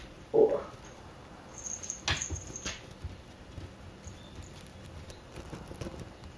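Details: Akari, a pet cat in her first two months with a new household, gives one short, mid-pitched mew at the very start, then soft tapping and rustling follow in a quiet indoor room.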